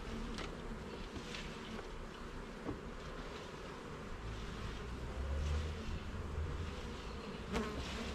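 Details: Garden beehive opened for inspection, its honey bees giving a dense, low buzzing drone that grows slightly louder midway, with occasional faint taps and clicks from the frames being handled.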